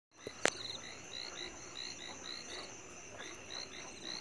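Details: Chinese tree frog calling along the Maokong camphor tree trail on 2 May 2020: quick bursts of short, high, clipped notes rattled off in series over a steady, thin insect drone, with one sharp click near the start.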